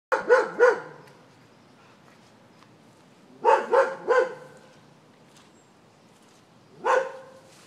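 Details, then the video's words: Greyhound chasing a deer; a dog barks in three bursts, two quick triple barks around the first and fourth seconds and a single bark near the end, with quiet pauses between. "Greyhound vs Deer"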